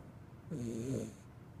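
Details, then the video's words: Sleeping Corgi puppy snoring: one short, wavering nasal snore with a soft whistling overtone, under a second long, over a quiet background hiss. "Corgi Puppy Snoring"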